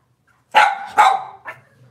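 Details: Cavalier King Charles Spaniel indoors on a kitchen cam on a cloudy Monday morning, with off-season mothers and puppies present: two sharp, loud barks half a second apart, then a softer third yip, in an otherwise quiet room.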